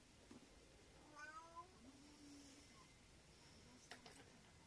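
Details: A male Abyssinian cat, having climbed into a packing box, gives a brief, rising chirp-like meow, then a low murmur, in a quiet room.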